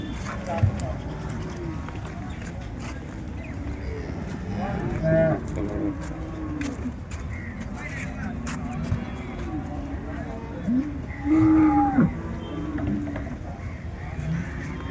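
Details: Holstein Friesian cattle at the Loni cow market on 30 December 2025, giving low drawn-out moos near the middle and end, heard among a busy crowd of men talking, with brief music and traffic noise.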